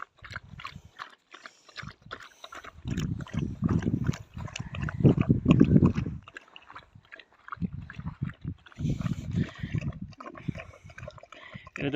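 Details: Young male Kangal (Sivas Kangal) pup on a highland farm, jealous over its food and angry while eating: bursts of low rough growling and snorting noises, in uneven pulses of several seconds, with clatter and movement sounds.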